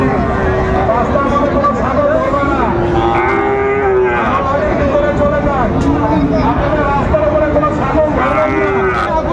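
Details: Cattle at a busy cattle market in Chattogram, Bangladesh, on 19 December 2024, where a farmer buys a Sahiwal bull calf. Long, drawn-out harmonic moos, some rising then falling, come several times over a steady din of crowd voices and traffic.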